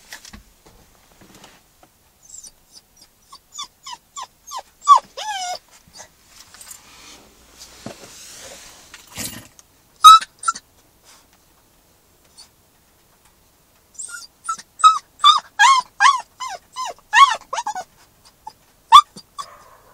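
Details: Max, a Newfoundland–Labrador mix puppy in his first week home, howls in a car, upset at being separated from his people: high, wavering whimpers rising into short, quavering howls in bursts.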